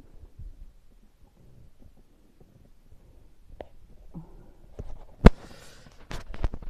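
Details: Quiet low thumps and knocks, then a sharp click followed by rustling, with no animal call present.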